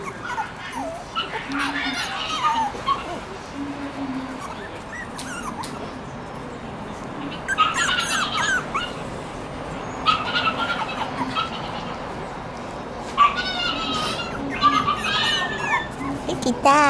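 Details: Four Shiba Inu puppies born September 24, on their fourth day outdoors, two now starting to move around; scattered high, wavering whimpers and squeaks come in short bursts through the clip over a steady background hiss.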